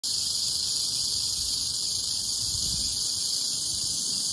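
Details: Western diamondback rattlesnake in Oklahoma, filmed up close, rattling: a continuous dry, high hissing buzz that holds steady without a break for the whole stretch, with no other clear sounds.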